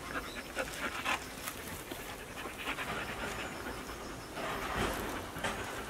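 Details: Pet dogs, used to dental chews and never brushed before, pant while having their teeth brushed at home and licking the toothpaste. Soft, breathy, noisy bursts in an uneven rhythm, with faint household sounds.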